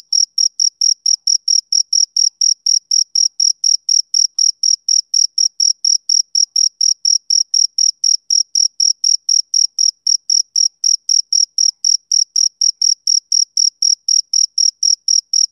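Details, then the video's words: Male cricket chirping steadily: short, high, pure-toned chirps repeated about four times a second with even spacing, continuing unbroken throughout, with no other sounds around it. "Cricket Chirping Sound Effect"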